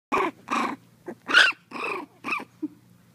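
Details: A litter of 4-week-old Miniature Pinscher puppies give a series of short, high whines and yelps while chasing the camera.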